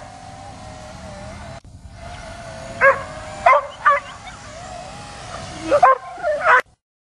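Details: A dog barks at a drone and jumps up trying to get it, giving sharp, irregular barks in short bursts over the drone's steady mechanical hum.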